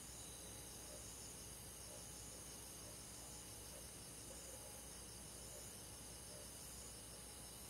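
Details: Crickets and other insects chirping on a summer night in a forest, a steady high shimmering trill layered in several bands, with soft lower pulses recurring about once a second underneath.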